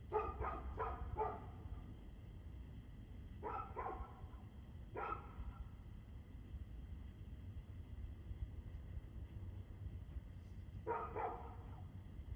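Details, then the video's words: A dog recorded on 2/6/2024 at 6:02 pm lets out a fast run of barks, then pairs and single barks separated by pauses, with a closing double bark, all against constant low-pitched background hum. "Barking Dog"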